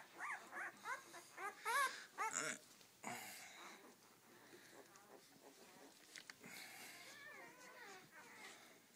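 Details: Seven-day-old Rhodesian Ridgeback puppies from a first litter; a quick series of high, squeaky rising whimpers in the first few seconds, then rustling, faint squeaks and a person talking.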